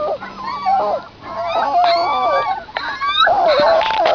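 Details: Outdoors beside their mother, suckling puppies keep up a continuous tangle of whining squeals. Many small voices overlap in rising and falling wavering notes with scarcely a pause.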